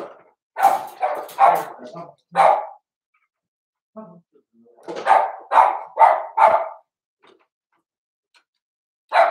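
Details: Daisy's four-week-old Cavalier King Charles Spaniel puppies in a pen, giving clusters of short high barks and yips, a burst of several, a pause of about two seconds, then another rapid run, with a faint voice in the room.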